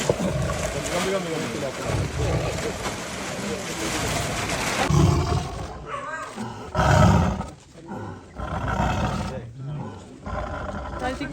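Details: Caged tiger captured in Wayanad. Deep, sustained roaring and growling is partly masked by men's voices and broadband noise, with a loud burst near 7 seconds.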